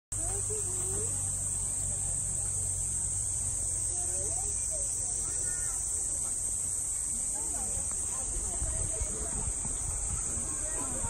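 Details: Platypleura kaempferi cicada in Saitama Prefecture, Japan, in August 2019: an unbroken, steady high buzz throughout, with faint low murmurs and soft chirps beneath and a low rumble at the start.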